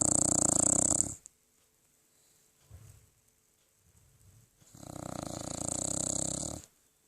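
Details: Sleeping 13-year-old poodle snoring: two long rough snores about four seconds apart, each a harsh buzzing breath over a second long, with faint quiet breathing between them indoors.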